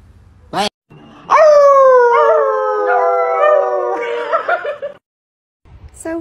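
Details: A pet dog named Sophie howls indoors when told to speak: one long, sustained, mournful tone that starts high and sags slowly for about three seconds before breaking up. A brief sharp yelp comes first, and a human voice follows at the end.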